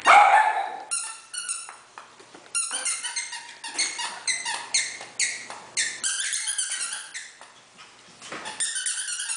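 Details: Playing Havanese puppies from Freya's litter, indoors among scattered toys, give a steady stream of shrill, harmonic-rich puppy barks and yips, several per second, overlapping from more than one pup throughout.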